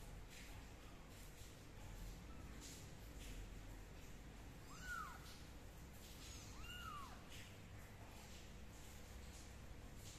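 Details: Two short, arched kitten meows sound about two seconds apart over a steady broadband whoosh as the kittens are dried with a dry towel and a gentle hair dryer.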